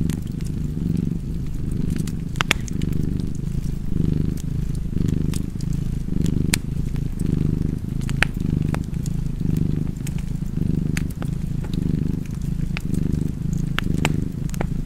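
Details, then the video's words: Domestic cat purring steadily beside a crackling fireplace; a low rumbling purr swells and fades in slow breathing cycles, roughly one a second, while sharp scattered snaps and pops of burning wood sound over it. "Purring Cat and Fireplace"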